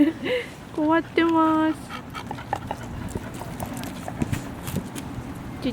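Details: Shiba Inu giving a few short, clear whining cries, the longest lasting about half a second, followed by quieter background chatter and laughter.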